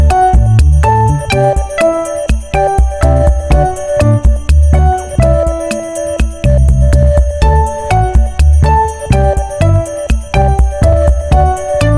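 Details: Loud jingling music with bell-like tones and a steady beat, no animal voice.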